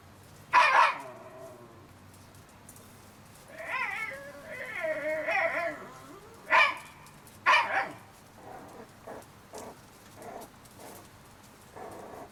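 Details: Shiba Inu puppies, 30 days old, whimpering: short harmonic squeals near the start and again around seven seconds, with a longer wavering, warbling whine in between and soft scattered yips trailing off at the end.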